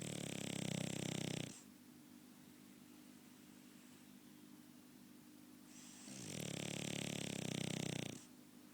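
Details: Indoors, a French Bulldog gives loud rattling snores, one at the start and another about five seconds later, each a deep fluttering rumble with airy hiss, quiet between.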